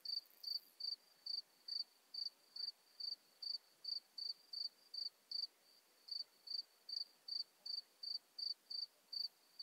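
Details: Isophya modesta, the Modest Plump Bush-cricket, singing at Marz, Austria, 13 June 2020: evenly spaced short high buzzy syllables, roughly two per second, over a faint background hiss.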